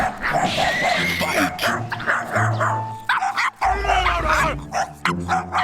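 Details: Chihuahua barking at other dogs met on a walk, regardless of their size: sharp, high yapping barks in quick bursts, with loud background music throughout.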